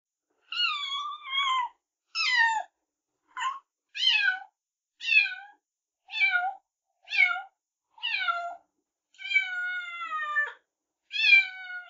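A kitten gives high, thin meows, roughly one a second, each sliding downward in pitch.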